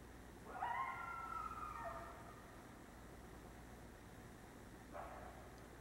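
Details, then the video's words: Coyote at night calling to others: a clear howl that starts high, slides and breaks downward over about a second and a half, followed by a short fainter answering cry after a pause. "Coyote Howling at Night"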